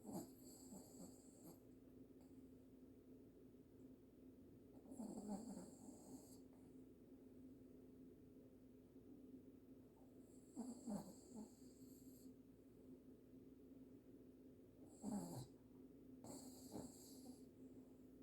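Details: Loud snoring from a pet dog, rough drawn-out breaths returning about every five seconds with soft wheezy snorts between them, above a constant low background hum.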